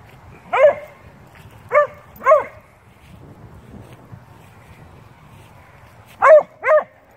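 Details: Beagle/shepherd mix and a Blue tick dog talking and playing together: loud, short harmonic barks and yelps in bursts, two early, a pair around the middle and a quick run near the end, quiet between.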